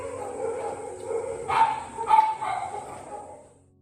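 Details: Two loud barks half a second apart from rescued beagles at a Korean shelter, dogs whose hospital treatment was stopped for unpaid bills, with gentle music underneath.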